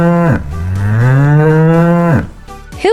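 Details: Cow giving one long, drawn-out moo lasting about two seconds, deep and rich in tone, swelling slightly in the middle before dropping off abruptly, with faint music underneath.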